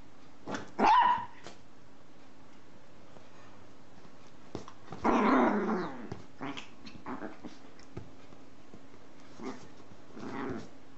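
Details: Dog barking in a funny compilation: a few scattered barks and growly bursts separated by long quiet gaps, irregular rhythm, with a low steady hum underneath.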